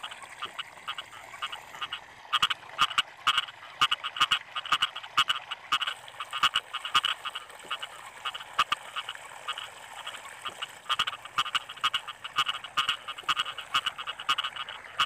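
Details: Frogs calling in rice fields during the rainy season: a dense chorus of short, sharp croaks repeated in quick bursts and overlapping from several callers, over a steady high-pitched hiss throughout.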